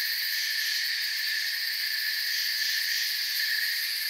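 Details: Crickets chirping in a calm forest at night: a dense, unbroken chorus of high, shimmering trills layered in several bright bands, steady in loudness throughout, with no other voices or noises standing out.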